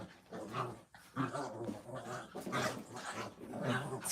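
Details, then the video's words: Puppies at play make rough, throaty growls with brief barks mixed in, in uneven pulses across four seconds. "Puppy playtime"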